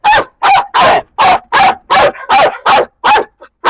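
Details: A dog behind a wire barrier barks aggressively at a man, firing about ten sharp, harsh barks at a steady fast pace of nearly three per second.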